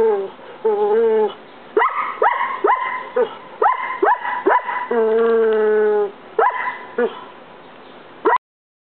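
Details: Collie barking at a roommate, a constant habit aimed at him alone; long drawn whining tones alternate with bursts of quick, sharp barks, ending abruptly.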